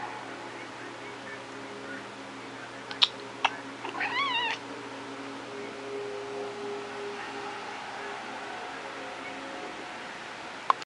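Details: A two-year-old pet female cat giving one short, thin, wavering meow after two sharp clicks, against a steady low indoor hum.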